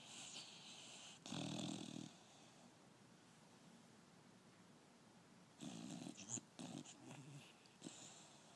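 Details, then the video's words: A five-month-old female pit bull asleep and dreaming with her tongue out gives rasping, wheezy snores in bursts, one long buzzy breath early and a cluster of shorter snorts later, quiet breathing between. "Lexy snoring and dreaming"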